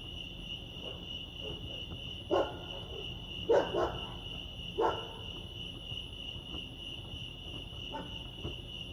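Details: Crickets chirping at Lake Arrowhead, California: a steady, high, continuous trill that holds one pitch throughout, broken by several low, dull knocks or thumps near the middle and a few softer ones toward the end.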